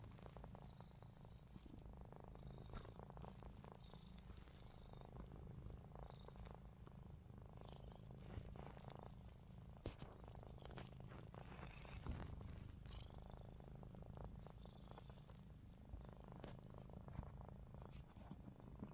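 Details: A long stretch of a cat named Ruby snoring while her eyes stay open: a deep, even, rattling hum that repeats breath after breath, with faint clicks and handling noise on top.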